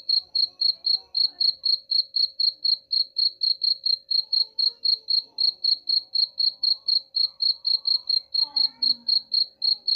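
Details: Steady cricket chirping, meant to repel rats. Bright, even pulses repeat about four times a second for the whole stretch, with faint background voices and a low steady hum beneath.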